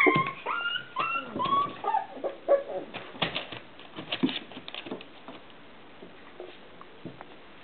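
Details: Four-week-old Irish terrier puppy giving a few thin, high whines in the first two seconds. Scratchy shuffling and clicking noises follow, and the remainder grows quiet.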